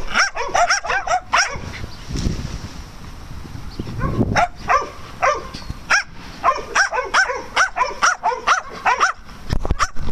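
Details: Dogs at play on a farm, with rapid bursts of sharp, high yapping barks in quick runs, a short quieter stretch near the middle with low rumbling noise, then more repeated yips to the end.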